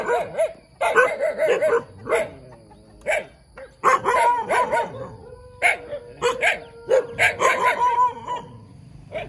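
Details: Young dog yapping repeatedly in rapid uneven bursts, high sharp barks mixed with short whining yelps, close and clear.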